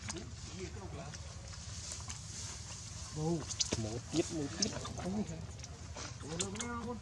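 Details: Baby monkey Leo, hungry and crying to beg milk from its mother; short arched, wavering cries in quick bursts midway, then a longer rising-falling wail near the end over a steady rustling background.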